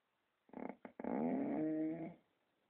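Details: Pet dog in Romania snoring: a few short broken grunts, then a drawn-out voiced groan of about a second, steady low pitch with rich harmonics, in a quiet room.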